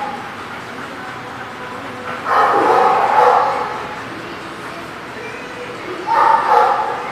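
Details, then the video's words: Dogs barking at The Barking Lot, recorded 30 March 2019: a rough cluster of barks lasting about a second, a quiet gap of several seconds, then another short bark burst over a steady background hum. "The Barking Lot"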